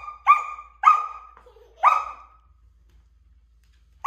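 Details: Sasha, a Samoyed puppy, barks at a stool being moved by a toddler: three short, high, ringing barks within two seconds, then quiet, with a fresh bark starting at the end.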